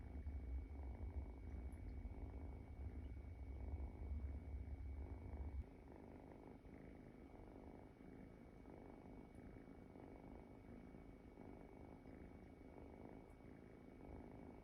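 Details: Soft snoring from a sleeping Munchkin kitten: a low rumbling rasp pulsing with each breath, stronger and deeper for the first five seconds, then settling into a quieter even rhythm of gentle breaths.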